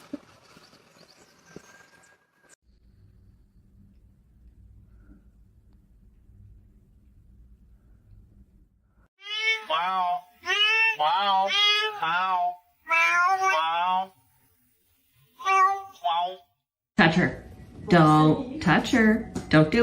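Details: Domestic cat giving a run of loud, drawn-out meows, each arched in pitch, rising then falling, several in close succession after a quiet start, followed by a burst of overlapping voices and harsh noise.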